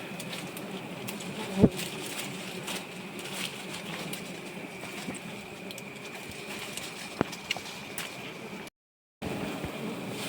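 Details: Giant honey bees at a nest being harvested, giving a steady low droning hum with a faint thin high tone above it, a few sharp knocks and clicks, and a brief cut-out near the end.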